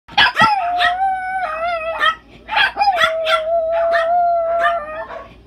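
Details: ChiChi, a pet chihuahua, howls as if channeling an inner wolf: long steady wavering tones with rich overtones, broken by short sharp yips and bursts between the held notes.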